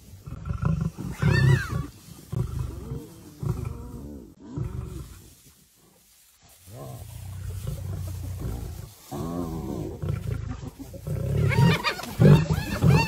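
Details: Lioness rushing to save her sister, deep rumbling growls and snarls in repeated bursts with harsh rasping tones, a brief quiet gap midway, then louder overlapping growls building toward the end.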